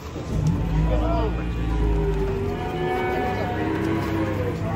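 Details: Cattle being unloaded from a truck, one cow struggling and unable to stand. Low, drawn-out mooing with steady harmonics, overlapped by people talking and encouraging the animal, plus a constant background hum.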